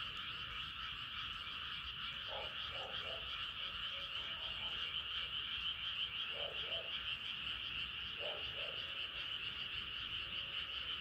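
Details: Frogs calling on a moonlit night: a continuous high pulsing chorus, with deeper croaks arriving in quick double or triple bursts at roughly two, six and eight seconds.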